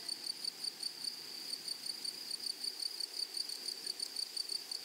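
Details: High, dry pulses from meadow grasshoppers repeat steadily, about four each second, layered on a constant shrill buzz; quiet outdoor background, no other clear sounds.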